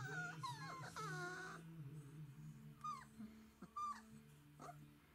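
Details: Galgo Español puppies from a litter at day 22, Kennel Grey Mountain, 16 September 2017: high, thin whines and squeaky yelps, some rising then falling, several short cries overlapping a lower, longer moan.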